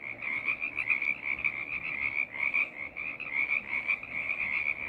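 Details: Many frogs calling together in a choir, a thick wall of rapid, trilling high croaks that swell and dip in waves throughout.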